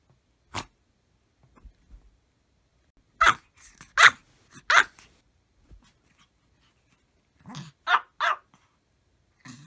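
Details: Several Maltese dogs barking together at full force: sharp, harsh single barks in scattered bursts, a lone bark, then a rapid cluster of three, and later a closely spaced pair, with quiet gaps between.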